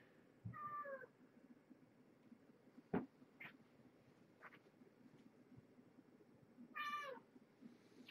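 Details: Mother cat Marge, a former pregnant stray at Purrfect Pals with five kittens born November 22, 2014, at evening dinnertime indoors: two drawn-out, falling meows, one early and one near the end, with handling clicks and a quiet room between.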